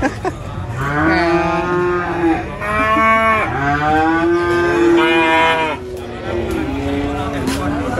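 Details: Cattle brought to Prambanan animal market, mooing repeatedly in a series of loud, rich, rising-and-falling bellows, roughly one every second or two, with slight market bustle behind.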